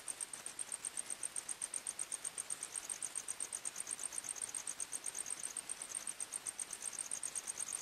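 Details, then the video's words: Night-time forest crickets: two high-pitched voices pulse rapidly and steadily together throughout, a shrill ticking chorus against faint background hiss. "45 Minutes Criket Sounds, Night time Forest Sounds"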